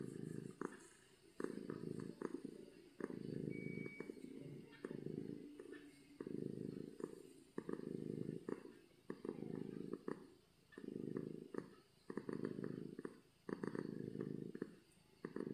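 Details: A domestic cat purring loudly from happiness gives a rhythmic low rumble, each breath a rumbling burst separated by short gaps, steady across the stretch, with faint background noise.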